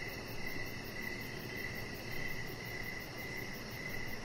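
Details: Outdoor evening crickets near a deck where a chihuahua puppy lies among decoration lights; short high trilled chirps repeat at an even pace above a constant rumbling noise floor.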